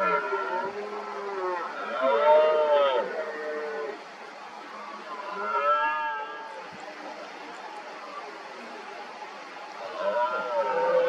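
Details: Red deer stags roaring repeatedly in the 2023 rut, working each other up to challenge a dominant stag with injured rear legs. Drawn-out, groaning harmonic roars come in three bouts, near the start, middle and end, with quieter gaps between.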